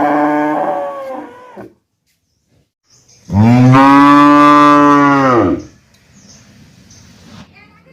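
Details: Cow (Bos taurus), moo.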